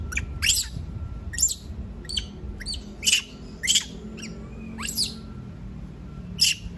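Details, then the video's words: A monkey that does not want to be left alone gives piercing, high-pitched shrieks, about eight short bursts spaced roughly a second apart, over low background rumble. "Sound of monkey scream doesnt want to be alone, suara monyet teriak tidak mau di tinggal sendirian"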